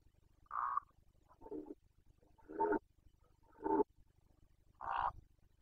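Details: Carpathian red deer stag in Bucovina, Romania, roaring (boncănit) during the 2021 rut breeding season: five short hoarse mid-pitched grunting bursts, roughly one each second, over a faint low hum.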